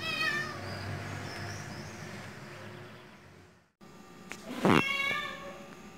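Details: Siamese cat giving a long whining meow at the start, then after a break a loud rough burst and a higher drawn-out meow, with a steady low hum underneath.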